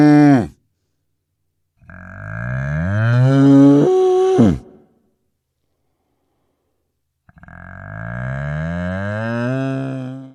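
A cow gives long, deep moos that rise and then fall, with quiet gaps between them.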